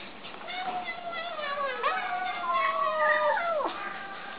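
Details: Kittens making funny noises while eating: overlapping wavering, whiny meows that wobble in pitch and end in a sharp downward slide, with background noise throughout.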